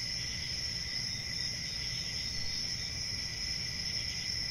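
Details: Crickets chirping in a dense, unbroken chorus: a steady high shrill trill with a fainter lower tone beneath, holding an even level throughout over a soft low rumble.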